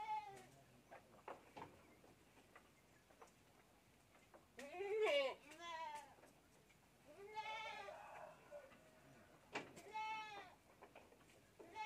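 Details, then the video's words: Goat kid drinking milk from a bottle, giving several harmonic, wavering bleats spaced a few seconds apart, with the loudest near the middle, among soft background noise and faint voices. "anak kambing || minum susu botol"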